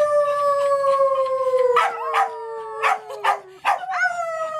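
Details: Dogs named Baby Ella, Candy and Tami howling together at a farm: a long steady howl slowly sliding downward, joined midway by sharp yips and barks, then a fresh howl rising at the end.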